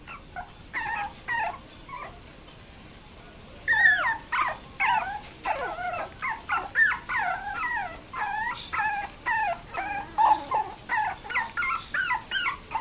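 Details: A 60-day-old toy poodle puppy gives rapid, high whining yelps and whimpers in short bursts.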